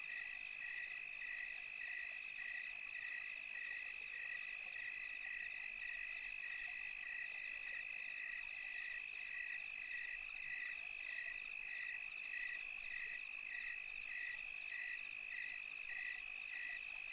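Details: Crickets chirp in a steady chorus on a tranquil European summer night, short high pulses repeating about twice a second over a constant ringing trill.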